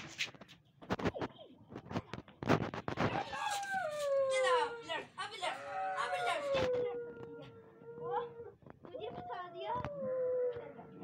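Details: Siberian Husky puppies in Lahore, Pakistan, giving long wavering howls that slide downward and hold steady, several drawn-out notes in a row, with sharp clatters and people talking in the background.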